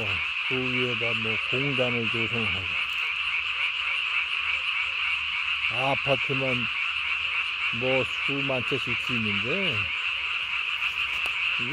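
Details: Japanese tree frog calling after dark on 3 May 2020 with a hugely inflated vocal sac beneath the chin; clusters of quick, wobbling nasal croaks come in several groups separated by gaps, backed by a continuous shrill chorus.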